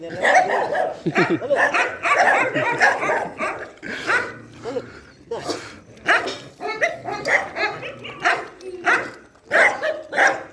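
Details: Night feeding at an animal shelter brings loud, overlapping dog barks in quick, irregular bursts, with a short quieter stretch before the barking resumes steadily.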